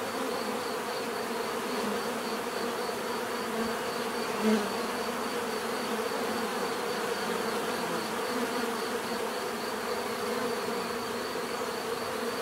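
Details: Bees buzzing in a dense, steady drone with layered low hums, offered for relaxation and sleep; a thin high line runs throughout and one brief louder buzz passes near the middle.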